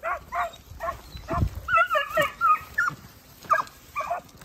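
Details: Segugio Italiano hounds, puppies aged 8 and 17 months with their father Geko, giving a series of short barks and yelps, several voices overlapping with some higher whining notes in the middle.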